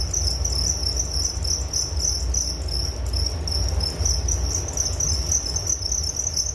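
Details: Crickets in a relaxing nature recording, a dense high-pitched chirping chorus pulsing rapidly and steadily throughout, over a low rumbling background hum.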